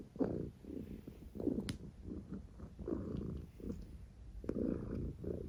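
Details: Mya, a peaceful pet cat, snoring and purring: low rumbling breaths come in soft pulses roughly every second, each a muffled, throaty swell over a quiet indoor background.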